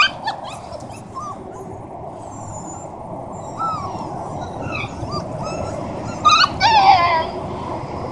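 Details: Siberian huskies, a family with puppies, in Oregon: short high whimpers and yips scattered through the clip, with a louder burst of rising-then-falling whines near the end, over steady broadband background noise and a voice calling the dogs.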